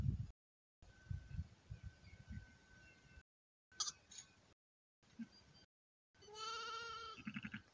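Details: A newborn lamb at an elephant park in Mae Chai, Phayao, Thailand, gives one clear, nasal, harmonic bleat lasting about a second near the end. Low rumbling handling noises and soft thumps come before it, with brief gaps of silence between.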